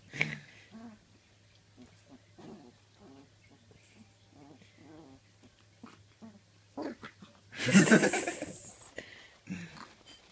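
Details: Red Labrador Retriever puppy, three weeks old, giving her first bark while growling at and trying to chew a person's leg: soft, low growly whimpers in short bursts, then one loud, harsh yap near the end, with a person talking.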